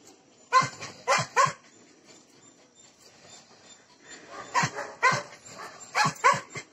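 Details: German Shepherd dogs offered for sale in Bangalore, India, barking in short bursts: three sharp barks early on, a quiet stretch, then a looser run of five or six barks toward the end.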